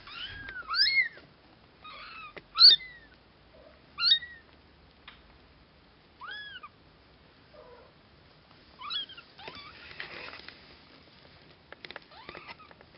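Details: Cashmere and Bengal kittens nearly two weeks old, mewing indoors: thin, high rising-falling squeaks repeated in irregular bursts, several calls overlapping, some fainter, with quiet rustling between.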